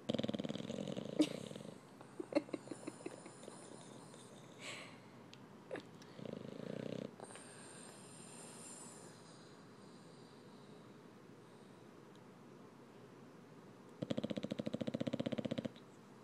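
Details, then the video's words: Snoring from Kirby, an English bulldog aged eight months, while cuddling: three separate rough, raspy snore bursts spread across the recording, with scattered rustles and clicks and quiet stretches between them. "Bulldog snores"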